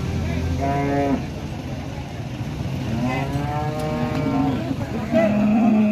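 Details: Late-arriving jumbo Limousin bulls being unloaded and sprayed at a livestock farm in Ampel, Boyolali, Central Java; several wavering moos rise and fall over music and a continuous engine rumble.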